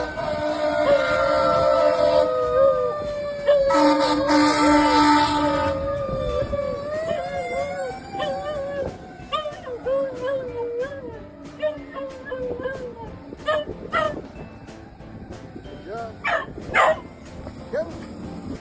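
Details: Guinness, a once-stray dog, howling at a passing ambulance: a long sustained howl that wavers and slides in pitch for about thirteen seconds, with a burst of vehicle noise early on, then scattered sharp clicks and brief sounds.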